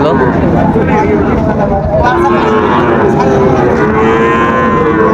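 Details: Young Sahiwal bull calves for sale at Raniganj market, Dinajpur, on 15 August 2024; sustained, wavering moos run almost continuously through the clip over steady market crowd noise and occasional voices.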